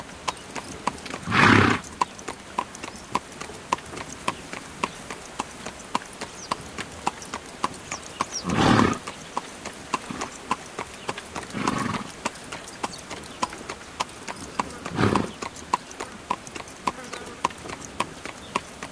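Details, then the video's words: Carriage horse trotting along, hooves clip-clopping in an even beat, broken by four strong broadband bursts at roughly 1.5, 9, 12 and 15 seconds. "Horse Carriage Sound"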